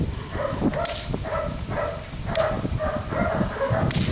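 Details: Belgian Malinois puppy named Felix, four months old, biting a rag; short yappy barks and yips repeated in quick bursts about every half second, with scuffling noise and occasional sharp clicks.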